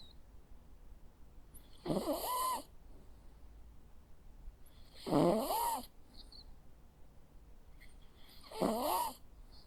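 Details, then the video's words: Jack Russell Terrier dog snoring while asleep indoors: three rasping, wheezy snores spaced about three seconds apart, each a short nasal burst with a rising whine, quiet breathing between. "Sounds of a Jack Russell dog snoring. Cute sleeping and snoring sounds."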